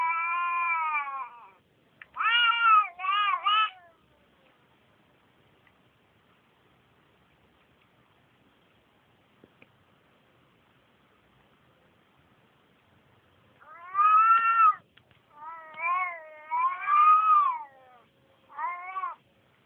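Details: A Turkish Van cat gives loud, drawn-out meows, some wavering, in two bursts separated by quiet, as she seems to wonder where another cat is.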